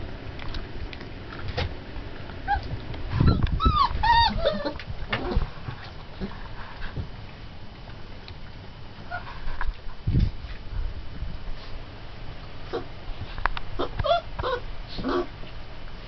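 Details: Twenty-day-old Turkmen Alabai puppies whimpering and yipping, with short squeaky cries clustered around the fourth second and more scattered thin whines later, over a low rumbling background.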